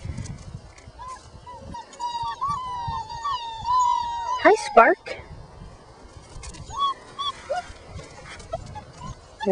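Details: Five-week-old puppies, including Spark, whine while playing outside after realizing a person is present; a long wavering whine rises and falls, followed by a sharp yelp and scattered short whines amid rustling.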